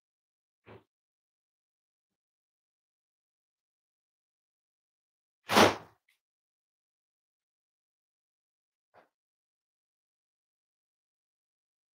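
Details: Near silence broken by three short bursts, a soft tap, a loud whooshing slap and a faint later knock, with no animal call.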